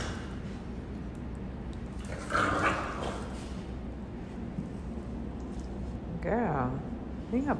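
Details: A three-month-old French Bulldog, described as always ready to fight, gives rough, low growls that rise into short, whiny bursts while a woman speaks.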